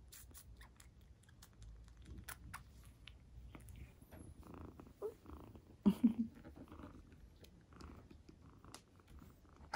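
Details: Indoor cat purring while the kitten Towa drinks milk, watched by the older cats Kuu and Hime. A low, steady rumbling purr runs throughout beneath soft clicks and rustles, with a few short louder thumps around the middle.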